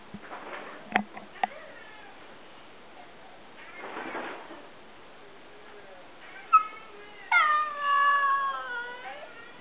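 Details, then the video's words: Cody, a small Alaskan Klee Kai dog that likes to talk, gives a drawn-out, wavering yowl with several bands near the end, after scattered clicks, brief faint bursts and quiet background noise. "Cody (the amazing tiny husky) talking"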